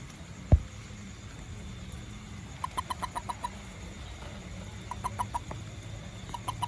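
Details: A small toad calling after rain around a home garden: short bursts of five or six hard, clicking knocks, each burst a fraction of a second long and spaced a few seconds apart, over a low steady hum.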